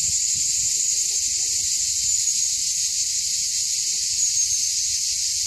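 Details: Cicadas on the hill of Mont Saint Martin, Cap d'Agde, sing in a loud, steady, high, hissing buzz without a break; recorded 24 June 2015 around 13:05.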